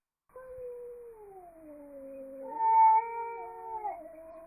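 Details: Angry cat producing a long, drawn-out yowling caterwaul that slides slowly downward, then jumps up in pitch and wavers before ending, steady tone for over four seconds in a quiet setting.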